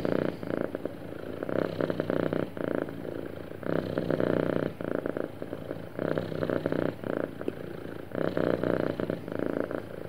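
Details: A happy cat purrs smoothly and steadily, its low buzzing rumble pulsing in long stretches of one to two seconds separated by short quieter breath gaps, heard up close indoors.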